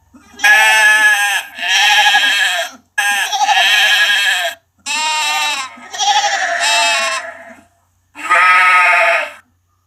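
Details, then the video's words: Sheep bleating in six loud, strongly harmonic baas, each one to one and a half seconds long with a wavering tremolo, separated by brief gaps. "Sheep Lamb voice sound effect no copyright | Sheep high bleating | Sheep baa sound | Lamb bleat"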